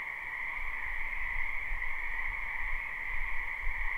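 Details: Spring wetland frogs in a live recording: an unbroken croaking chorus hums steadily, while low rumbling thuds pulse underneath.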